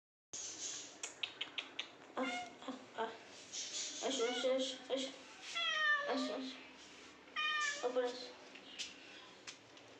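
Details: Pet house cat at home giving several short harmonic meows, some rising then falling, between a woman's voice repeatedly calling it to come up to the roof; sharp clicks and tapping early on.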